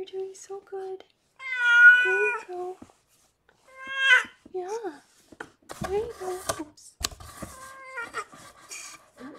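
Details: Rescued pregnant cat Harlequin giving birth to six kittens indoors: a long loud meow, then a shorter strained one, followed by rustling, clicks and soft human voices.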